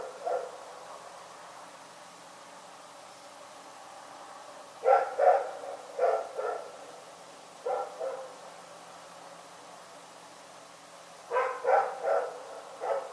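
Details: Rex, a dog, barking in the night: quiet stretches broken by short clusters of sharp, mid-pitched barks, two or three at a time, with a longer run of four quick barks near the end.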